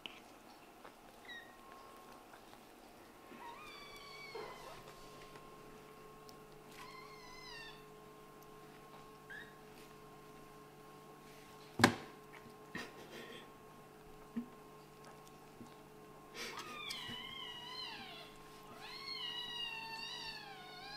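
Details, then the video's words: Kittens from a Scottish Fold mother and British Shorthair father at play indoors; repeated clear meows, several drawn-out and wavering, clustering toward the end, with a sharp knock midway and a constant low hum. "This kitten is probably the one who meows the most with such a cute face!?"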